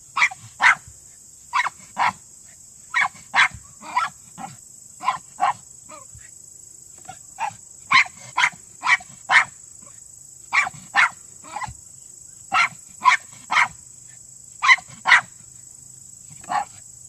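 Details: Male Miniature Pinscher, an old vermin-hunting breed, barking below ground during a Senior Earthdog leg, quarry reached in 10 seconds; rapid sharp yaps in uneven runs with brief pauses, about two per second, steady background hiss.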